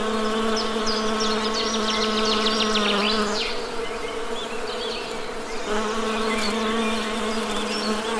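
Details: A strong, buzzy honey bee drone with a clear low tone that briefly drops away near the middle and returns, with quick bird chirps scattered above.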